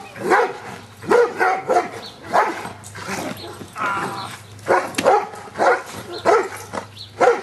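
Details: Giant Schnauzer Luther working on Schutzhund stick hits, 25 April 2009; steady barks repeat about every half second to second, with sharp impact cracks and a low background hum.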